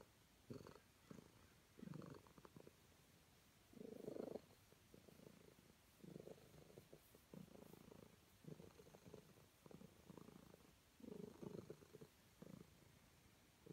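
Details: Calico cat purring contentedly under petting, softer and more broken here, with short uneven rumbling bursts coming every second or two.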